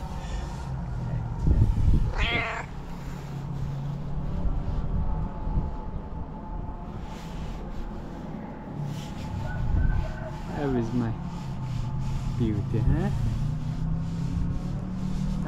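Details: A female tailless tuxedo cat greets her person with loud meows as soon as she sees her. Three separate wavering meows sound several seconds apart. A low steady hum and handling noises run underneath.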